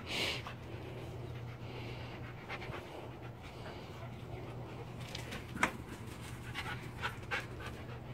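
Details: Dog panting while playing with a much smaller young dog, their first time together; soft, rapid breathy huffs over a steady low electrical hum, with a person speaking nearby.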